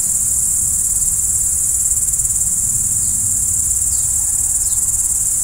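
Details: Crickets at night: an unbroken high-pitched trill chorus, joined late on by a few quick falling chirps and a soft low rumble.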